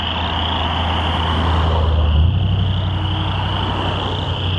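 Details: On 22 June 2013, a rain pond on Brewery Hill in Lethbridge holds a very loud, dense chorus of chorus frogs, a steady high trilling mass over a low passing-vehicle engine rumble; the frogs seemed to get louder whenever vehicles passed.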